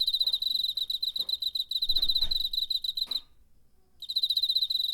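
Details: Cricket from September 2019, recorded with a portable recorder: a fast pulsed high trill for about three seconds, a short silent gap, then it starts again; soft knocking and rustling noises sound alongside.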